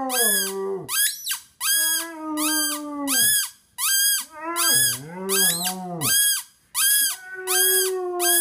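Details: Basset hound, 5.5 years old, indoors, almost breaking into a howl for the first time: low, drawn-out moaning notes that waver and slide in pitch, mixed with a bright squeaky tone repeating about once a second.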